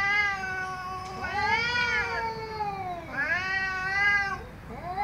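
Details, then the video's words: Domestic cat making angry, drawn-out yowls, with wavering pitch that climbs and dips through two long calls and then a short rising start of a third. "MAULLIDOS de GATOS ENOJADOS 😾🔊 ¡Gatos Maullando Fuerte!"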